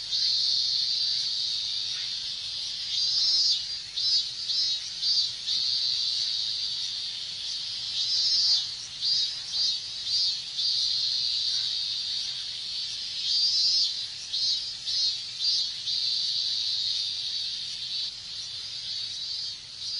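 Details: Minmin cicadas calling together on a hot Japanese summer day, a continuous shrill high drone broken by bursts of quick pulsing notes and gentle swells in loudness.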